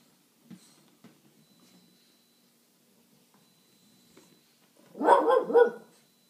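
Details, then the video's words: French Bulldog barking while claiming her territory, protecting her spot as three French bulldogs play together; faint sniffs and small noises first, then a short burst of two or three harsh, rough barks near the end in a small indoor room. "French Bulldog Claiming Her Territory"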